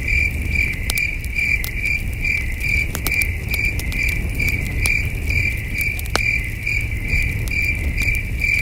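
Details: Crickets chirping at night around a starlit wilderness campsite: a steady, high, pulsing trill of rapid repeated chirps, with sharp crackles and pops from a campfire and a soft low rumble beneath.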